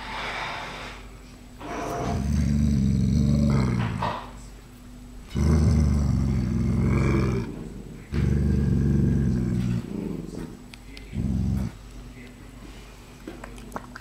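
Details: Seven-week-old puppies from a third litter giving deep, rough growls in four long bursts of one to two seconds each, separated by brief quieter gaps, with faint scuffling and clicks in the background.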